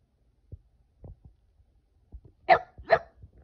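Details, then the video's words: Boston Terrier pouting and crying like a baby: after scattered faint low taps, two short, strained, harmonic-rich cry bursts sound about half a second apart near the end. "Adorable Boston Terrier Pouts And Cries Like A Baby!"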